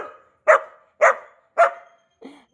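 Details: New Labrador Retriever puppy barking: three sharp, mid-pitched barks about half a second apart, each fading quickly, then two softer, lower yelps at the end.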